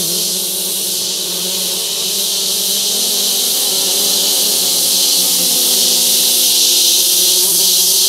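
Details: Male orchid bees, wild, gathering scents at a paper towel on a forest limb, Barro Colorado Island; continuous low humming drone with several wobbling overtones, beneath a constant bright hiss.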